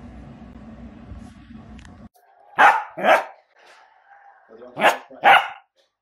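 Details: Dachshund, a sausage dog, giving two pairs of sharp, loud barks about two seconds apart after a low rumbling background noise cuts out; quiet pauses between the pairs.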